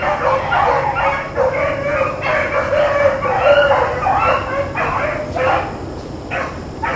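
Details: Blackcreek and Bluetick hounds running rabbits on April 4, 2013, baying as a pack: bursts of harsh, ringing bawls in uneven succession, about two a second, voices overlapping, with steady low background rumble.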